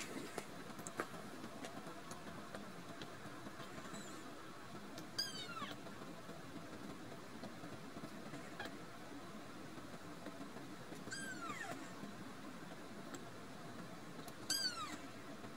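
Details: Rescued kitten giving a cute threatening meow at its owner, who approaches to stroke it; it wants no attention. Three short, high mews slide steeply downward, several seconds apart, over a steady low background hum.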